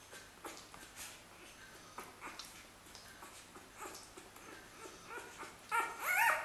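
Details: Xoloitzcuintli puppies of a first litter in Switzerland whimpering indoors; faint scattered squeaks and soft yips through most of the clip, then a louder rising, wavering whine near the end.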